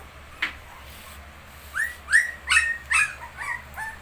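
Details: Young shih tzu pups at 19 days old let out a quick burst of high, bending whines, several in close succession after a short quiet start, over a faint low hum.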